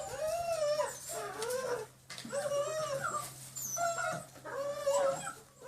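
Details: Line-bred German Shepherd puppies, six weeks old, on a slippery floor for the first time, whining in repeated arched high cries, several puppies overlapping, bursts separated by short gaps.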